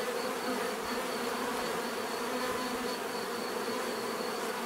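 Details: Steady swarm-like buzzing of bees, a constant layered hum with no pauses, even in loudness across the whole stretch, presented for relaxation and sleep.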